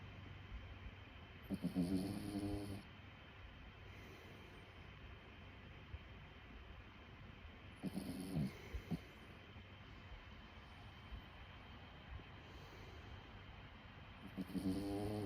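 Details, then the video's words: Sleeping dog snoring softly, each rasping, buzzy snore lasting about a second and recurring roughly every six seconds, over quiet background hiss and a steady faint hum. "Snoring cavi."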